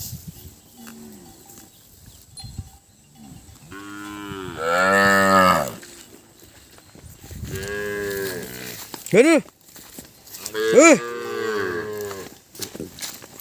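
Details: Calves crying for mothers they cannot find, Thailand: a long harmonic bawl near four seconds, then several shorter cries with rising-falling pitch around eight to eleven seconds, amid field noise.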